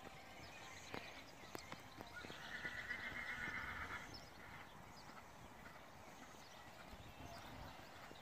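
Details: Horse during a cross-country and dressage riding outing, giving one high, tremulous whinny of about one and a half seconds midway through, set against steady outdoor background noise with scattered sharp knocks.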